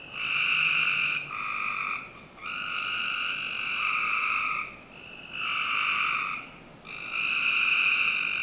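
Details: Backyard frogs in Northern Virginia on a summer night give long, even trilled calls lasting one to two seconds, alternating with brief pauses, a dense chorus of several callers filling the night.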